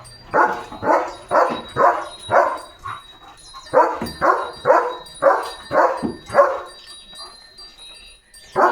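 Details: German Shepherd named Leo, out running and playing with its owner in open green countryside in India, barks in a steady run of about a dozen sharp, loud barks roughly every half second, with faint birdsong behind.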